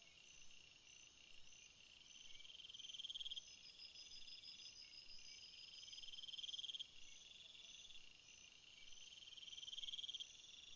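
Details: Crickets in a field of flowers, a close caller repeating a loud pulsed chirping trill roughly every three and a half seconds over a constant high insect chorus.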